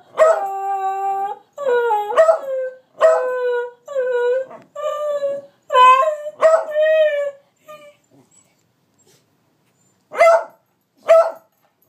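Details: Two dogs, Moe and Slim, howling and yelping as a trick: a string of long wavering howls with rich harmonics, each around a second long, then a short pause and two brief yelps near the end.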